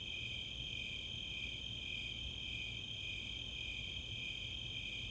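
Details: Snowy Tree Crickets and Four-spotted Tree Crickets trilling together on a summer night at Chautauqua open space, Boulder, Colorado; continuous high, softly pulsing chirps layered in two close bands, with nothing else standing out.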